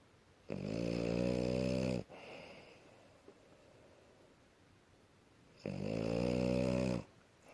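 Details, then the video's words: A tired French Bulldog in healthy sleep snores twice, each a buzzy, steady drone of about one and a half seconds, about five seconds apart, with quiet breathing between in a still room. "Французский бульдог Ася здоровый сон и храп"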